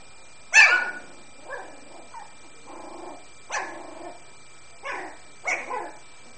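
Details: Puppies playing together: several short, sharp yips and barks, with softer, rough, grumbling growls in between. There are about six bursts over six seconds against a quiet background.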